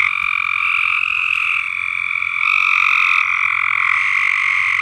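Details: Continuous frog chorus from a dirty above-ground swimming pool on a farm, many fast trilling voices merging into a steady high buzz that grows slightly louder midway.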